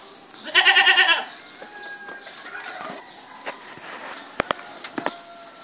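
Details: A single strong, quavering goat bleat near the start, followed by quieter background chirps and a few sharp clicks or knocks.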